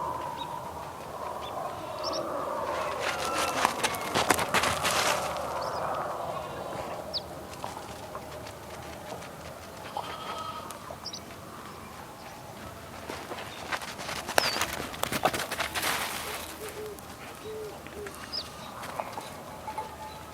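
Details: Sheep on a farm in the morning, giving wavering, drawn-out bleats in the opening seconds, set against chirping birds and bursts of broadband rustling noise.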